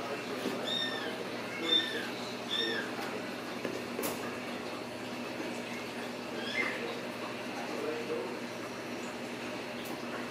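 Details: Ragdoll kittens born and raised at home in a central Kansas cattery, free of cages, give a quick run of short, high, arching meows in the first seconds, then softer calls over low human speech in a small room.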